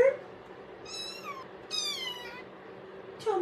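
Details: Domestic cat indoors giving two clear, drawn-out meows with bright harmonics, each sliding downward, followed by another call at the end; a person speaks to it, asking if it is tired or hungry.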